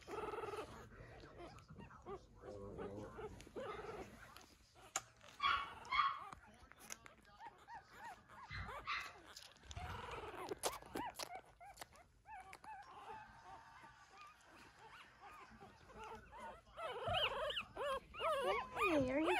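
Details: Two-week-old puppies from Myra's litter, sired by Macchiato, indoors after nursing while their mother moves away, navigating by smell and touch. High, wavering whimpers and squeals come in scattered bursts, building to a denser run of whines at the end, with a woman talking.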